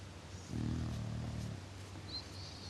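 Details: Sleeping English Bulldog Tilka gives a single deep, grainy snore lasting about a second, then fades to soft low rumbling; a faint high thin tone appears near the end.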